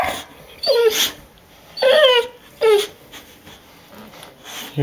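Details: Rocky the pet dog whines impatiently before a trip to the dog park, three short high descending whimpers about a second apart, followed by quieter room sound and faint speech.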